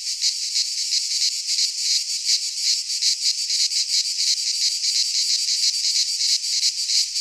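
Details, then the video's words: In a Greek pine forest at midsummer, many cicadas sing together, a bright sizzling buzz pulsing rapidly and evenly, its loudness gently swelling and easing, with nothing else heard. "Cicadas singing in midsummer"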